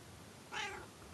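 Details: Pet cat calling from the attic ladder while being spoken to indoors: a short rising-falling meow of about a third of a second, sounding almost human, with a woman's voice nearby.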